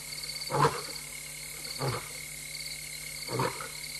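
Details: A restless lioness alone at night in Tembe Elephant Park, 26 August 2022 around 3:15 AM, roaring: three deep, breathy grunts roughly 1.4 seconds apart, over steady high-pitched pulsing frog or insect chorus and a constant hum.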